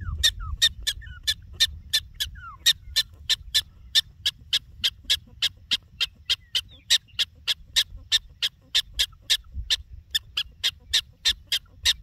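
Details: Prairie dog in the Badlands calling a rapid series of sharp, high chirps, about three each second, steady and evenly spaced for the whole stretch, with low rumbling wind or background noise beneath.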